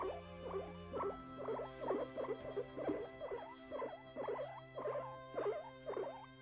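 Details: A very timid pet guinea pig named Pon-chan, staying on guard, gives rapid, irregular short squeaky calls, roughly two each second, over soft background music.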